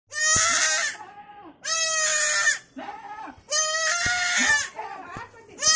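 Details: Young goat kid crying for its mother: loud, harmonic, slightly quavering bleats lasting about a second each, three calls with pauses between, softer background sounds in the gaps.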